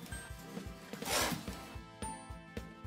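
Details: Domestic rabbit hissing, an uncommon sound made when it feels aggressive or threatened and wants to scare a threat away: one brief, breathy, noisy hiss in the middle, with background music throughout.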